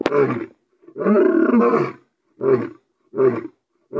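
A lion roars in deep, rasping bursts, one long roar followed by shorter grunting calls.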